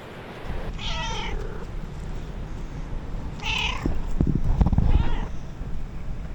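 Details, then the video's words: Stray cats at a colony near the ruins of an old house during feeding, an intruder cat facing the colony's largest cat: drawn-out wavering meows about every two seconds over a steady low outdoor rumble. "Feeding stray cats to the sound of cats meowing loudly"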